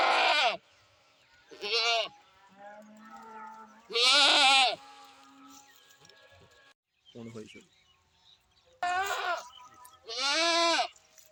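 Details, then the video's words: Goat producing loud, vibrating bleats, five main cries of under a second, with a brief low grunting call midway and near silence between. "Goat sounds"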